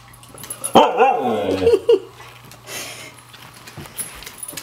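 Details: A white female Siberian Husky playing hide and seek gives a drawn-out, wavering woo-woo call that rises and falls over about a second, announcing she has found her owner.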